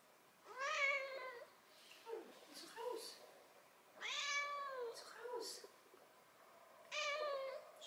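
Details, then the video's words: Nelli, a six-month-old calico kitten living in central Germany, meows in an indoor conversation with a person: three drawn-out harmonic meows, rising then falling, spaced about three seconds apart, with soft German speech in between. "Six month old Nelli talks with human"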